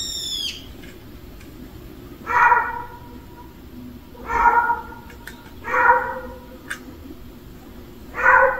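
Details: Meowing from a family of street cats gathered together at a meal: four short, mid-pitched meows spaced one to two seconds apart, opened by a thin, high, downward-sliding cry, with faint clicks and low background hum.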